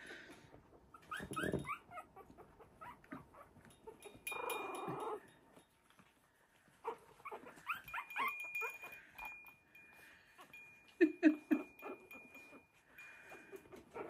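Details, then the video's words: Three-week-old Havanese puppies of the "January Storm" litter playing with a toy in their newly expanded whelping box; scattered high squeaky yips and whines in short bursts, with soft music, a steady tone and laughter behind. "Havanese Puppies Playing at 3 weeks Old"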